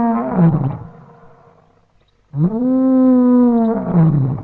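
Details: A lion gives its dawn roar in the African bushveld: deep, drawn-out moaning roars, a falling groan, a short pause, then a long, steady moan that tails off. No other sounds are heard.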